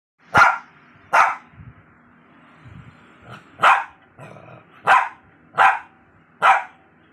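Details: {'caption': 'Lhasa Apso puppy giving sharp, high-pitched yaps, seven short barks spaced under a second apart with brief quiet gaps and faint low rustling between them.'}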